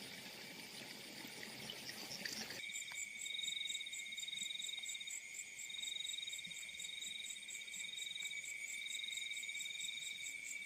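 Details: After a brief muddled hiss at the start, night field crickets ring out in steady high trills with a quick pulsed chirp overlaid, swelling and easing slightly in loudness.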